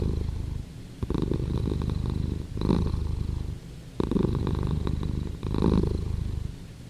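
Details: Rumbling purr of a house cat, deep and buzzy. The breathing rhythm is clear, with louder surges roughly every three seconds and softer dips between them.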